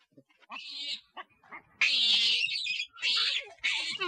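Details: A loud monkey call said to summon nearby monkeys: a brief squeal, then long strained high screeches in three separate blasts, shrill and tonal with a rasping edge.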